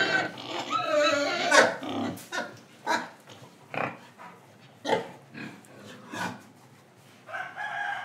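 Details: Indonesian pig, breathing and eating: a rough drawn-out squealing grunt at first, then shorter grunts roughly every second, fading into soft snuffling with a final grunt near the end.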